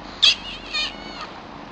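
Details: One of two new kittens, Chilli and Pepper: a sharp, high-pitched mew followed by a softer, wavering second cry, then a faint short squeak, with quiet indoor background.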